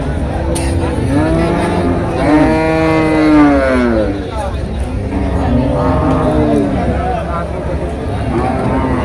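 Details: Cows and heifers at Deohata market in Mirzapur, Tangail, held every Tuesday; a long, low moo holds steady for about two seconds, then shorter lowing calls follow, with people talking and traffic noise behind.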